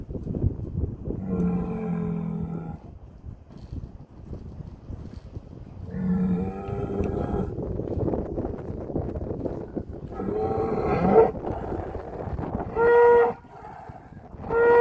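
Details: Heck cattle at Kottersbos in the Oostvaardersplassen, Nieuw Land National Park, 10 March 2021, as the bull calls his herd; several drawn-out, lowing moos spaced a few seconds apart, the last ones shorter and higher-pitched, over rustling background noise.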